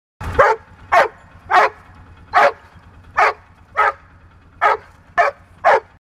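A sled dog barks in a steady series of sharp, mid-pitched barks about every half second.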